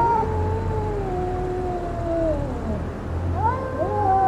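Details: A fighting cat gives a sustained, slowly falling wail that fades out, then two or more voices break in with sharp rising yowls near the end, a low hum running underneath.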